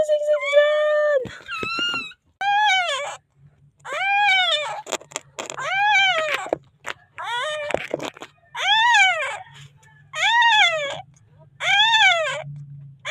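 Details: Newborn puppy in the Philippines calling for help before being found safe: a run of high, arched whining cries, each rising then falling, repeated about once a second with short gaps, over a steady low hum and occasional clicks.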